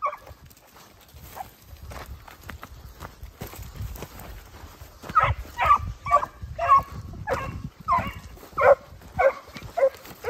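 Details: Italian hound puppies aged 8 and 17 months with their father Geko; after several seconds of low outdoor rumble, a steady series of short barks repeats roughly every half second to the end.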